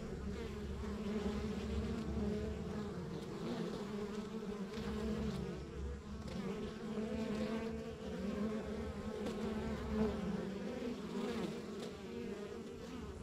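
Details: Continuous buzzing of a rural backyard beehive: dense layered honey bee hum holding steady pitch bands, with individual bees swelling briefly louder now and then over a constant low background rumble.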